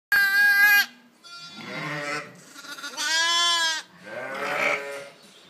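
A lamb gives four bleats over five seconds. Two are clear and high, and two are rough and squawky, almost parrot-like.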